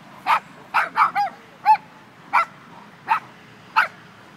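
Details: Dog from an Irish Wolfhound versus Dogo Argentino meeting, giving eight short, sharp barks in under five seconds, a couple doubled closely together, with faint low rumble behind.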